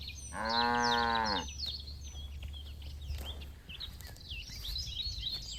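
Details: Herd of cattle grazing on green pasture: a single short, rich moo lasting about a second near the start, then busy high bird chirps and twitters over a low background rumble.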